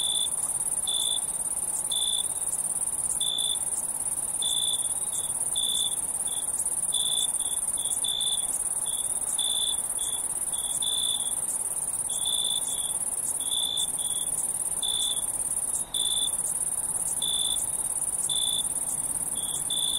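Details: Night-time cricket chorus: many short, high chirps repeating unevenly, often in quick pairs, about once a second, layered over a constant piercing high-pitched insect drone.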